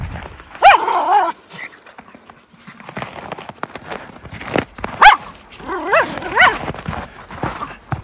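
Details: Miniature Schnauzer brothers Lucky and Levi romping through tunnel trails in deep snow, Aroostook County, Maine, January 22, 2023, after two weeks of snowy weather: a few short harmonic barks or yelps spaced several seconds apart, a person talking nearby.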